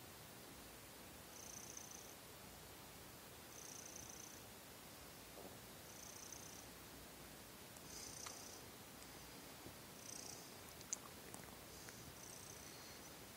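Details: Young pet cat Seol purring softly indoors at night before sleep, settling its breath after kneading; low steady rumbling purr with faint breathy hiss bursts recurring about every two seconds.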